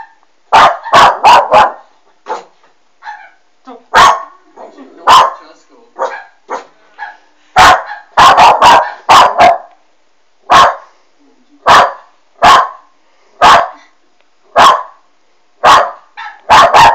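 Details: Alma, a young West Highland White Terrier watching a Doberman on a monitor, barks in a long, persistent run. Clusters of rapid barks give way to single barks spaced about a second apart, with soft murmurs in between.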